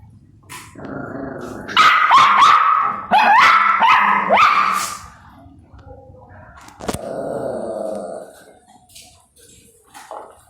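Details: Two puppies fighting over food, one angrily barking and growling in a burst of harsh, rising yelps around two to five seconds, then a quieter whining growl and a sharp knock.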